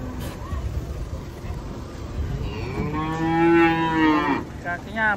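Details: A calf among cattle being unloaded from a truck, seeking its mother, gives a long, strong moo lasting over a second, preceded by a brief faint call and background clatter.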